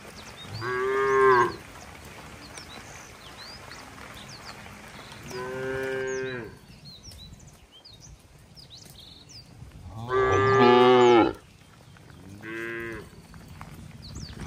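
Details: Cattle being herded slowly along wet roads toward the farm barn in the rainy season. Four loud, harmonic-rich moos, each one to one and a half seconds long, arrive about every four seconds, with small birds chirping in the background.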